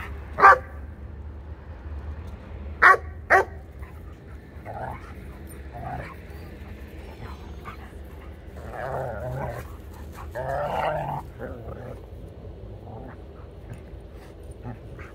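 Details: Dogs playing together, a Sheepadoodle of about 1.5 years and an Old English Sheepdog: one sharp bark, then a quick pair of barks, followed by softer growly grumbles and quiet murmuring.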